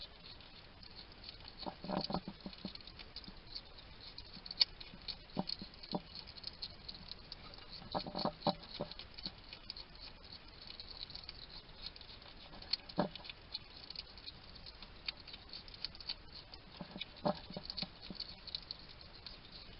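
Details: Small male wild hedgehog eating at a garden feeding station in Somerset, England, making low chattering munching noises: clusters of rapid crackly clicks and chewing smacks separated by quieter pauses, against soft background hiss.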